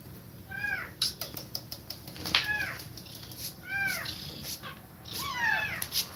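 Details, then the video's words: House cat nursing kittens, breathing quickly as she feeds them milk; a run of four brief, arching mews spaced about every one to one and a half seconds, mixed with sharp clicks and knocks. "Cat Breathing Fast While Feeding Milk To Kittens"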